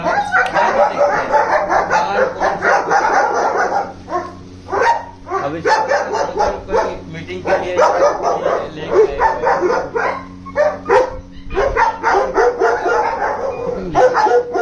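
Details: Many German Shepherds bark together in a dense, overlapping chorus of sharp repeated barks, briefly thinning near the middle before building again.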